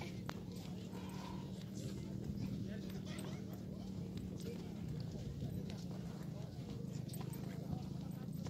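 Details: Horses carrying riders on a June 2019 family holiday at Mount Bromo, Bromo Tengger Semeru, East Java; a dense run of clopping hoof strikes under steady low rumble, with people talking and calling to one another throughout.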